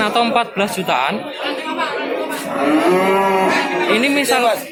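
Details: Cattle at the Tuesday livestock market in Babat, Lamongan, East Java, on 29 September 2020; a drawn-out, level lowing rises above a busy buzz of people talking nearby.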